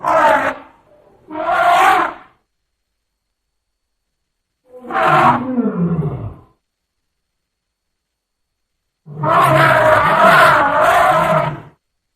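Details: Elephant calf calling in four separate bursts: rough, harmonic squeals and a wavering, falling cry, with silent gaps between them. The last call runs longest, close to three seconds.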